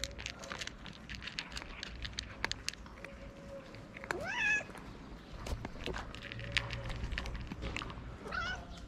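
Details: Hungry stray cats wait for food outdoors. A loud, bending meow comes near the middle and a shorter, higher one near the end, with faint mews, clatter, rumble and a voice in the background.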